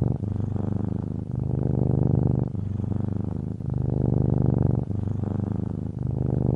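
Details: Cat purring in a steady, deep, low rumble, its rapid pulsing broken into inhale and exhale phases roughly every 1.2 seconds, with no other clear sounds.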